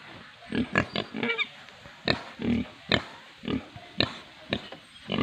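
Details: Pigs on an Indian farm grunt in short, low, rasping bursts roughly every half second to second, over a steady background hiss.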